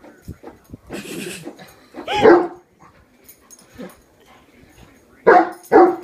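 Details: A one-year-old Great Dane barks at a hairbrush it has suddenly decided is an enemy: a loud deep bark midway, then two sharp barks close together near the end, with softer rustling and faint voices between.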